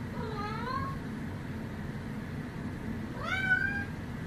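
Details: Domestic cat giving two harmonic meows, the first drawn-out and falling then rising, the second short and rising sharply after a pause, over steady low room hum.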